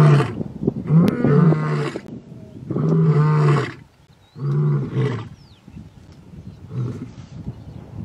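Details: Male lions of a young coalition contesting territory in Ol Kinyei Conservancy, Masai Mara: heavy, low, rumbling roars in four long bursts, the last fading quieter, with brief whistling sounds in between.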